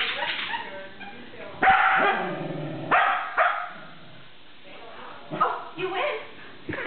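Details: Sheltie in a game of tug, letting out several abrupt barks spaced a second or so apart, with quieter grumbling sounds and human speech between them.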